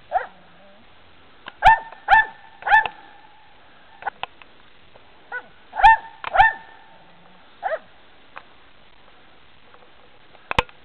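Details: A dog treeing, giving short sharp barks in pairs and small bursts, spaced a few seconds apart with quiet gaps, plus faint clicks and knocks.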